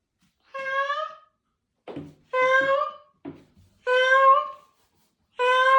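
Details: Dying male cat on his final day, dazed yet meowing in answer to his family's comfort, his last cries: four drawn-out mournful meows about every one and a half seconds, with short soft rustling sounds between them in a quiet small room.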